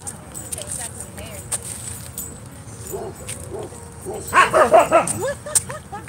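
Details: Dogs at a dog park on a Friday night during play: a quiet stretch of a man talking, then a quick burst of several short, loud barks and yips near the end.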